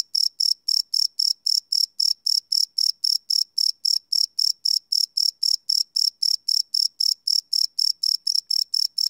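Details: Night-time cricket chorus captured live with a Sony PCM D100 recorder; shrill, even chirps pulse roughly four per second throughout, with no other sounds.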